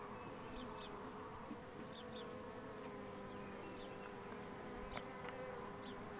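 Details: Dense, even hum of many honey bees as the queen box is pulled, with repeated paired high bird chirps and a couple of sharp clicks.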